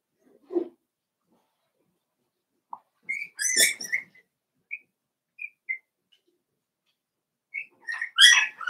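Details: Five-week-old Cavalier King Charles Spaniel puppies in an indoor pen let out thin whistled whines and short squeals, a few brief high notes between louder yelping bursts, room otherwise silent.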